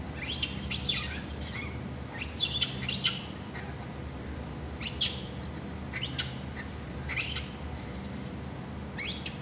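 A monkey gives shrill, squeaky squawks in short bursts, repeated every second or so.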